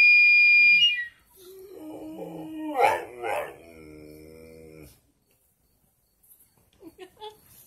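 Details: Dogs howling: after a brief steady high tone fades, a wavering, harmonic howl rises and breaks into whimpering, yelping pulses for about four seconds, then quiet with a few faint scattered sounds.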